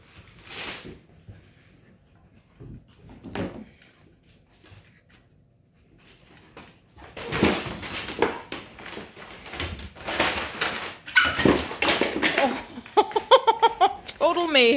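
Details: Beagle puppies at home, one running in circles: quiet room sounds and thumps, then clattering movement, ending with a wavering puppy howl over the last two seconds.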